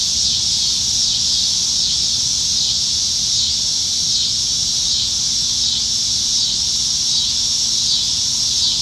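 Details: Summer-evening cicada chorus from the treetops in Nebraska, July 2019, with cicadas plentiful: a continuous shrill buzzing wall of sound that pulses gently in loudness roughly once a second, steady from start to finish.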